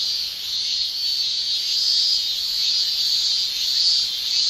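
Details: Japanese summer cicadas, male singers, fill the air with an unbroken metallic shrill, even and high, rising slightly in loudness toward the end; nothing else is audible.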